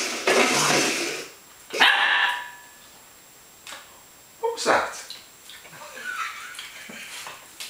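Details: Holly, a pet Welsh Springer Spaniel, playing with an empty milk powder container as a toy, 16 June 2012; a few sharp, harsh barks in short bursts with pauses between, then softer yips, indoors with some household noise.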